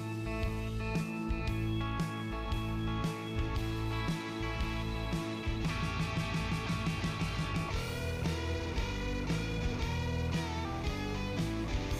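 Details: Loud rock music with strummed and plucked guitars over a thudding bass line fills the whole stretch, with no animal sound audible.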